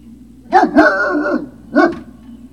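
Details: Great Dane puppies at Puppy Hill, recorded 3 May 2019 in the late afternoon; three sharp barks with a yelping, harmonic-rich tone, the first two close together and the third a second later, over a low steady hum.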